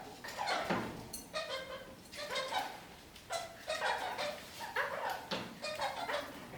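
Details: Kakariki parakeets hanging upside down from a ceiling indoors, giving bursts of nasal, harmonic chattering notes roughly once a second, with short pauses between phrases.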